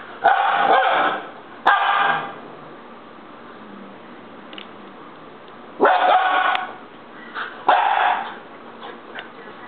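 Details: Baby Siberian Husky throwing a fit: two harsh yelling cries, a few seconds of near quiet with faint murmurs, then two more loud, rough outbursts.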